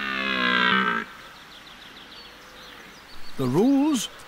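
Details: A red deer stag in the broadleaf forests of Eastern Europe gives deep, harmonic rutting roars at the autumn rut, one drawn out and one wavering, over faint birdsong.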